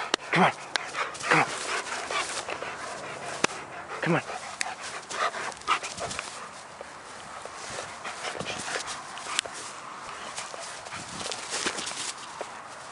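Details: German Shepherd dog at play: a few sharp, short barks near the start and again around four seconds, then softer panting and rustling, with human speech in the background.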